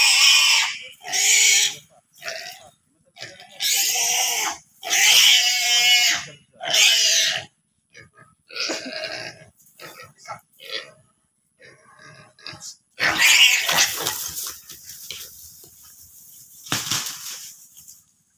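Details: In Komodo National Park, a pig bitten by a Komodo dragon lets out rapid harsh screaming bursts, then quieter grunts and clicks, before a final pair of loud drawn-out shrieks.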